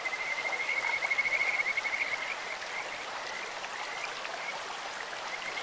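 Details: Stream-side Kajika frog gives a loud rapid trill of bright pulses in the first two seconds, then softer scattered chirps, with the steady hiss of running water throughout.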